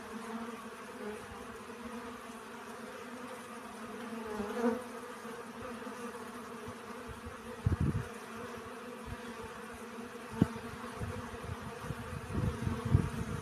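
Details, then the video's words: Honey bees foraging for pollen make a constant mid-pitched hum; a passing bee swells the drone briefly, and sharp low thuds and rumbles punctuate the latter half. "Relaxing Bee Sounds. Сбор пыльцы."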